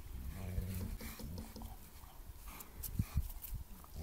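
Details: Garden roughhousing between two Bernese Mountain Dogs, a Flat Coated Retriever puppy looking on: low, throaty growls rumble through the first second and a half, then broken grunts and thumps of tussling.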